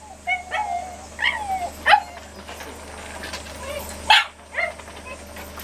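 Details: Domestic dog recorded at home in late August, uttering a few sparse whining yelps with sliding pitch, spaced roughly every half second to second, over a steady low background hum.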